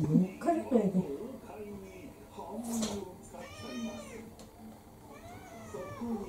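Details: Indoor orange tabby mixed-breed cat, around four, demanding its dinner: two short, rising-falling meows in the second half, after a woman's Japanese speech that fills the opening seconds.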